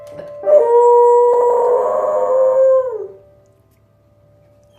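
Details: A pet dog howls along to piano playing, a steady sustained tone held for about two and a half seconds then falling away, with a faint piano note and a person's voice afterward praising the performance.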